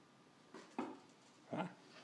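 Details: Sif, a dog getting used to wearing a harness indoors after play, gives three short, low grumbling yips spaced across two seconds in a small room, with little other sound.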